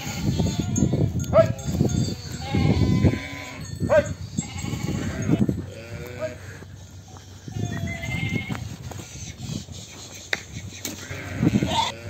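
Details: Sheep and lambs on a sheep farm during the separation of lambs from ewes, several wavering bleats rising and falling through the twelve seconds, overlapping one another amid low rumbling farm noise and handling sounds.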